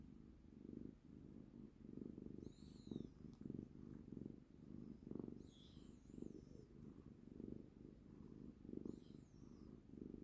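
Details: Cuddled pet cat giving a continuous low purr, rhythmically rising and falling with each breath, about one pulse every 0.7 seconds; thin high chirping sounds come through faintly a few times.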